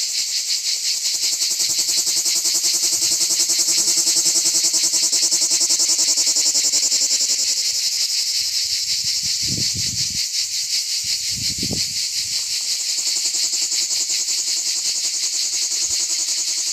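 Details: Plebeian cicadas (Lyristes plebejus) sing on an olive tree in an organic olive grove: a steady, high, hissing buzz that pulses rapidly without pause.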